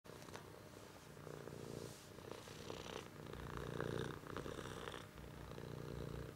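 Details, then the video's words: A cat purring steadily: a low, rumbling vibration that swells and fades in long breathing cycles, louder toward the middle, with a few soft clicks. "Cat is purring"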